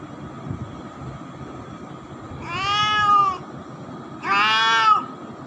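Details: Pet cat, now grown up, giving two clear, harmonic meows about a second and a half apart, the first steady and the second slightly higher and rising, over a low steady hum.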